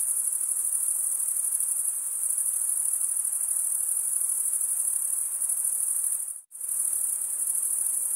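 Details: Male crickets chirping by scraping wing against wing: a shrill, even, high trill running steadily, broken by one brief near-silent gap late in the stretch before resuming at full strength.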